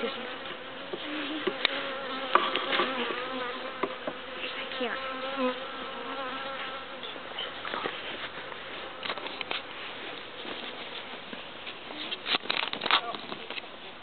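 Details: Steady multi-toned drone of a honeybee swarm moving from a transport package box into its hive, many bees flying at once, with sharp clicks and thumps as the box is lifted out and set at the hive front.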